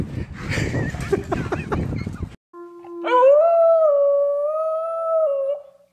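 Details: American Bully dog howling: after about three seconds of scraping and muffled noise, a brief gap, then one long tonal howl that rises quickly and holds a steady, slightly wavering pitch for roughly two and a half seconds before fading.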